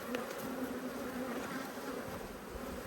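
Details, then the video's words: Honey bees from two top-bar hives in Australia, cross at being inspected and stinging the beekeeper: a dense, steady hum of many bees, with a low drone layered under brighter buzzing, unbroken throughout. "When Bees Go Wild - Inspecting Two Angry Hives"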